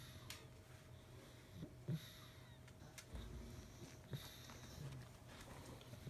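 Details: A sleeping pug named Sarah curled in a puppy's stolen dog bed indoors. Airy wheezing breaths and short snorts recur irregularly over a low room hum.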